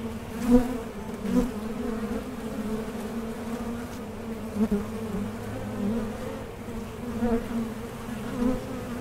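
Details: Honey bees at a hive fitted with a Mason jar honey super, a steady low droning hum with a few louder buzzes as bees pass close.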